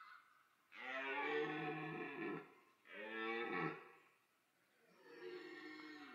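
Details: Red deer stags during the autumn rut at Sainte-Croix wildlife park, where the roar draws females. Three long, hoarse, harmonic roars, the first about a second and a half, the next shorter, the last fainter and more drawn out, separated by brief pauses.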